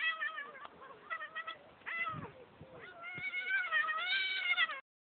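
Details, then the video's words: Domestic cat screaming while attacked by a stag beetle: a series of loud, strained, harmonic wailing cries, some short and broken, ending in a long drawn-out rising yowl. A person's voice is heard faintly. "Screaming cat"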